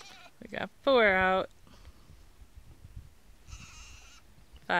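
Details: Day-old Nigerian Dwarf goat kids: one loud, wavering bleat, then a quieter, shorter one, with a person talking around them.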